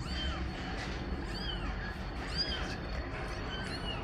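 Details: Context of a mother cat calling for her kittens to be returned to the nest: soft, arched mews repeated roughly every second, fairly faint against a steady hiss and low hum.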